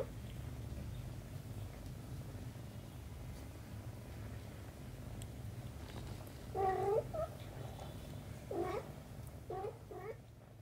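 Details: Mother cat with her kitten; a low continuous rumble runs throughout, then three short meows come near the end, a few seconds apart.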